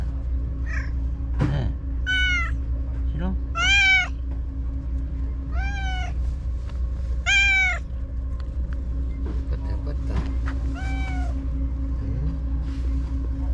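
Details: Stray white cat at the tetrapods, returned in good health after a day away, meowing repeatedly: five or six bright, wavering meows spaced a few seconds apart, with a person's voice at the start and low constant background hum.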